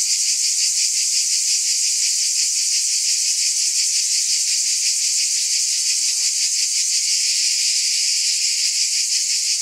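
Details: Continuous high-pitched cicada drone, a shimmering insect buzz with a subtle quick throb running through it, unchanging in loudness throughout.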